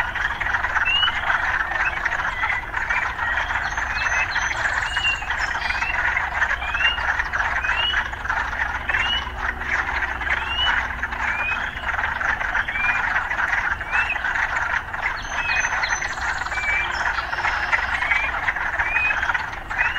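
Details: Steady frog chorus in an urban setting: a thick buzzing wall of calls overlaid with many quick upward-slurred notes, scattered through twenty seconds. A faint low rumble of city life runs throughout.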